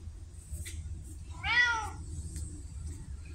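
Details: Pumpkin, a vocal female red tabby house cat, October 2023, gives one clear rising-then-falling meow midway, rich in harmonics, over a low steady indoor hum with a few faint clicks.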